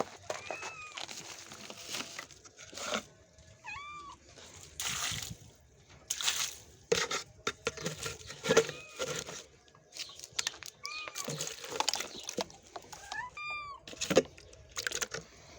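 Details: Mother cat and her kitten, the kitten newly recovered from illness, indoors at feeding time; short arched meows, a pair near the start and small clusters later, between bursts of a person talking and clattering bowls.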